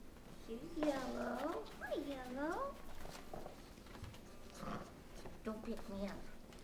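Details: Pups of a mastiff litter at five weeks, inside, crying in two long arching whines followed by softer short whimpers, with people talking nearby.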